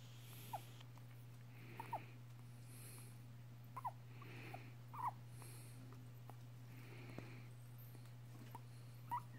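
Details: Pet female guinea pig, five and a half years old, squeaking while licking a person's nose. Tiny, sharp squeaks pop up irregularly, about five in nine seconds, with soft sniffing noises and a steady low electrical hum throughout.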